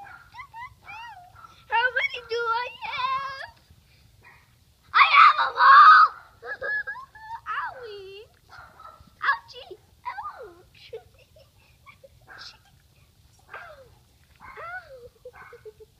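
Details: A Great Pyrenees and Akita mix dog gives a run of wavering, yodel-like whines and short howls, some rising and falling, with louder harsh bursts in between and quiet pauses.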